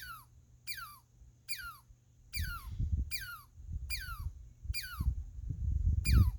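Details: Eight quick descending squeaks from a squirrel, each a bright high note sliding down sharply, spaced a little under a second apart, with a deep rumble growing louder partway through.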